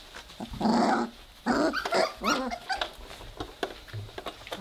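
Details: Weimaraner puppies, three weeks old, growling during their first play together indoors: two rough, throaty growl bursts followed by a higher whiny yelp, with scratching and patter in the background.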